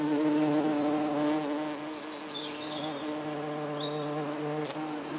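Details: Red-tailed bumblebee hovering and flying at yellow Berberis darwinii flowers while feeding on nectar; steady, rich low drone with slight wavering in pitch fills the whole stretch, a few faint bird chirps above.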